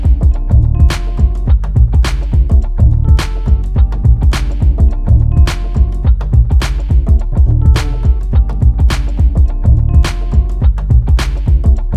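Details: Loud funk-style music with a heavy bass line, a regular drum beat and sharp percussive hits about once a second, with no animal sounds.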